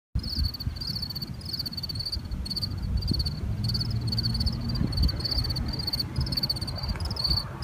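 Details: A cricket chirps at night in steady, rapid pulsed bursts, with a low rumble of background noise.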